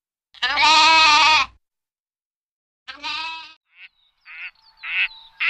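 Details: Lamb bleating: one long, loud, wavering bleat, then a shorter second bleat after a pause, followed by brief quacking-like calls near the end.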